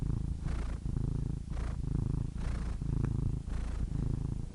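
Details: Close, deep purring of a cat, a vibrating low rumble rising and falling with each breath, about four breath cycles, plus a tiny click near the middle.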